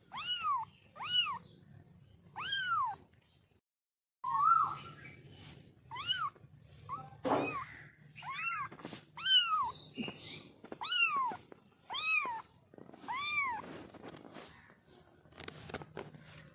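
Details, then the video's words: A baby kitten calls repeatedly, giving over a dozen short arched mews that rise and fall, spaced roughly one second apart, with a steady low hum and a brief pause partway through. "Baby Kitten vioce"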